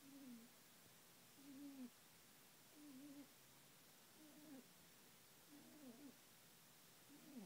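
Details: Binky, a female pet rabbit, snoring softly while asleep: faint, squeaky, tonal breaths with a slight downward bend, repeating about every 1.3 seconds in a quiet room.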